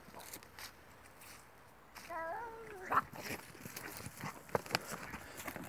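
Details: Two cats in a fight: one drawn-out, wavering howl with stacked tones rising briefly, lasting about a second, followed by scattered clicks, thumps and rustling.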